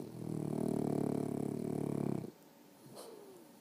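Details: Sleeping dog gives one long, loud snore lasting about two seconds, a low buzzing rattle with fast regular pulses, then quiet breathing and a faint rustle.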